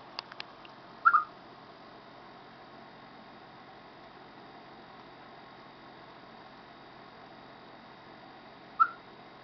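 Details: Ahead of rainy weather, a chipmunk gives two brief chirps about seven and a half seconds apart. A few soft clicks come just before the first, with quiet background hiss throughout.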